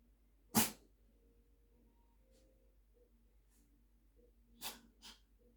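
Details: Sotis, a black cat, sneezing indoors: one sharp explosive sneeze near the start, then two smaller quick sneezes close together near the end, with quiet room hum in between.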